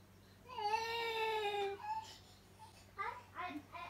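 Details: A domestic cat calls indoors after catching sight of a cat outside. One long, high, whining meow slowly falls in pitch, then shorter, broken mews follow.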